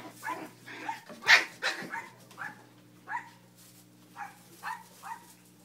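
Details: Cleo's puppies at play on a kennel deck: a loud sharp yelp early on, then a string of lighter, rising puppy barks spaced about half a second apart, over a steady low electrical hum.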